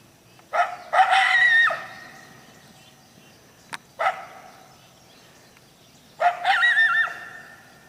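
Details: Coyote giving sharp barks that rise into drawn-out, wavering high howls, with three separate bursts and quiet pauses between them.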